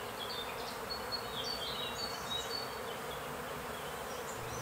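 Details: A dense, steady hum of a honey bee swarm on a fine April day in fields near Fröndenberg, Germany, clustered around their queen after leaving a beekeeper's colony, not aggressive; brief higher buzzes of single bees flying close by.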